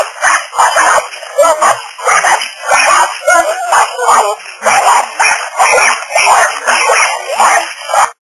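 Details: Little dogs next door trying to attack a person through the back-yard fence, barking fiercely; sharp, high yaps come in clustered volleys about every second, overlapping one another, with faint speech behind.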